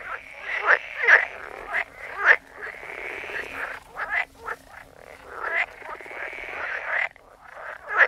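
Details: Chorus of croaking frogs, short pulsed croaks overlapping one another, with sharp clicking notes scattered through and a continuous raspy background of more distant callers.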